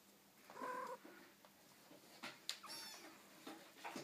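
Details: Four-week-old Ocicat kittens playing on the floor; one gives a short, high, slightly rising mew early on, followed by scattered scuffling, bumps and clicks of paws and toys on the floor.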